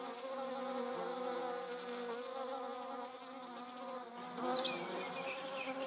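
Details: Wasp wing buzz from the Eifel, where hornet, paper wasp and yellow jackets were filmed with a Sony RX10 IV; a steady humming drone dips in pitch, then a bird's high chirps break in near the end.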